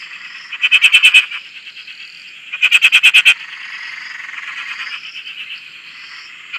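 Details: Close frog calling from a dam in Australia: two loud bursts of about six or seven rapid rattling pulses each, two seconds apart, over a quieter high trilling chorus of other frogs.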